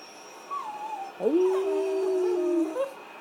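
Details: Shih Tzu dog howling because it wants a walk; one sustained, slightly wavering tone held for about a second and a half, preceded by a fainter higher wail, indoors with faint background hum.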